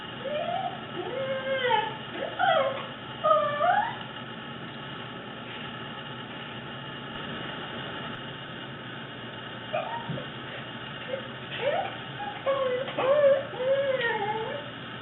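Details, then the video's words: Pet Corgi named Fuji, fluffy male, showing off his many weird noises: bursts of warbling, yodel-like whines and short howls rising and falling in pitch, in two clusters separated by a quieter stretch of steady hiss. "Fuji Makes Some Weird Noises"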